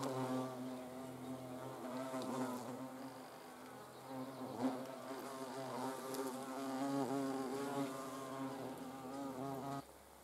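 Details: Hornet flight drone: a continuous low buzz with many overtones, wobbling in pitch as the insect moves, then cutting off sharply just before the end.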